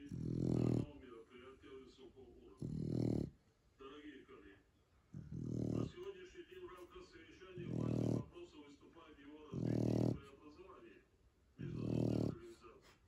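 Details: Zlata, a female Shar Pei asleep indoors, snores in loud, low, rumbling bursts about every two to two and a half seconds, six snores in all, with quiet breathing and soft human talk between them.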